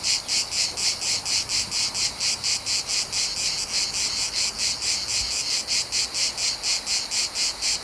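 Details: Summer cicadas of the Mediterranean recorded outdoors, producing a loud metallic buzz that beats in regular pulses around two per second, sustained throughout with faint low rumble beneath.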